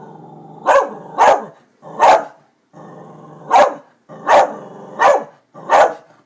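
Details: Darby, an excited dog, barks at construction workers near new buildings; seven loud, short barks in pairs and singles over six seconds, with a steady low hum between them.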